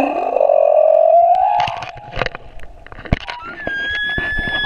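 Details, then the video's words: Humpback whale male singing near Moorea, with a long, loud moan gliding gently upward in pitch, then fainter rising squeaks and a high thin whistle, against a background of underwater crackles and clicks. "Baleine à bosse - le chant du mâle"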